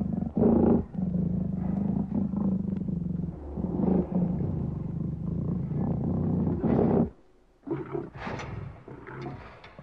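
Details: Lion roaring in deep, rough, throbbing bursts, several long low roars separated by short breaths. After a sudden break, shorter grunting and snarling sounds follow.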